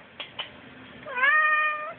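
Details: Indoor cat insisting on going outside answers its owner with a rising then level meow of almost a second, after two soft taps; a person talks just before and after.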